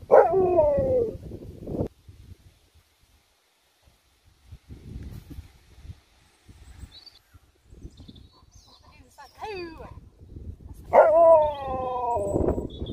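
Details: Sherpa the Alaskan Malamute howls twice, each a strong, falling, talkative 'woo' lasting under two seconds. A quiet gap with faint speech and small squeaky sounds separates them.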